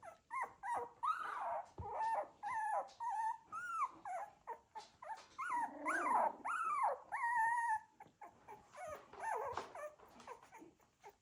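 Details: Cocker Spaniel puppies from a litter, moving about and making noises: many overlapping high whimpers, squeaks and short yips with rising and falling tones, some brief growly grunts, in a steady busy stream of calls.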